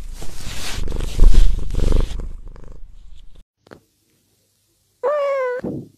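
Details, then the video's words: House cat purring in a rough, rumbling burst for about three seconds, then a silent gap, followed by a short clear tonal meow with a slightly wavering pitch. "purr purr cat"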